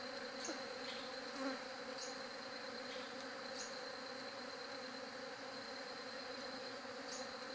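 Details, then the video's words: Continuous bee buzzing, a steady multi-toned hum with recurring brief high-pitched ticks every second or so layered above. "SOM DE ABELHA"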